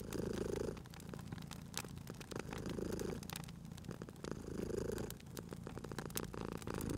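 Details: Cozy fireside purring from a sleeping cat: rhythmic low rumbles that peak about every two seconds as it breathes, overlaid by bright crackles and snaps of burning wood.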